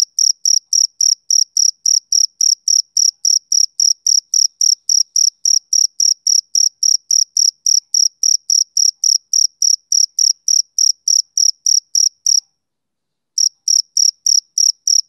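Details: Male cricket on a summer evening, chirping in a steady, rhythmic train of short, high, clean pulses, about four per second, with a brief pause near the end before it resumes. No other sounds.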